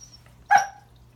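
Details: A single brief, sharp bark from Remington, a Pembroke Welsh Corgi, trying to greet a new friend discovered under the Christmas tree; quiet room with a faint low hum.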